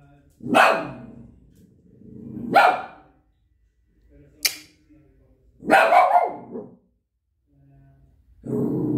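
A Shih Tzu gives a few sharp, slightly hoarse barks, spaced roughly two seconds apart.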